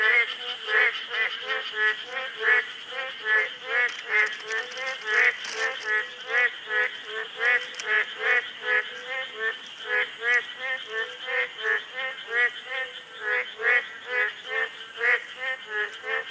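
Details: Chorus of boreal digging frogs, the Korean maengkkongi, heard on a monitoring survey: dense run of short nasal croaks, roughly two or three per second, several frogs overlapping, a constant high hum and a few faint clicks behind.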